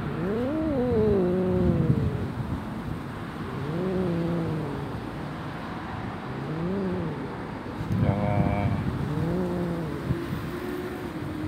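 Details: Stray cat met on a street during a bike ride, growling yet not fleeing and staying still while petted; long low moaning growls with wavering pitch, about five drawn-out rising-and-falling phrases, steady background rumble.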